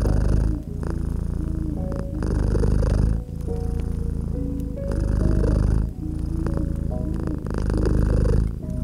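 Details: A cozy cat nestled by a crackling fireplace purrs in a deep, low rumble that swells and fades with each breath, roughly every second and a half, over soft sustained musical tones and faint crackles.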